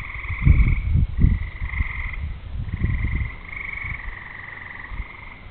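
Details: On a summer evening before rain, with thunder in the distance, frogs sing in overlapping, steady, buzzy trills lasting one to two seconds each. Heavy low thuds and rumbles dominate the first half, then fade.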